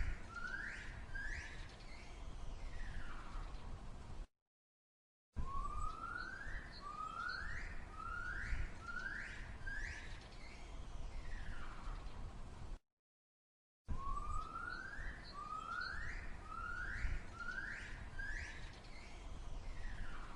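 A gibbon gives loud, rising whooping calls in quick repeated series over a low rumble.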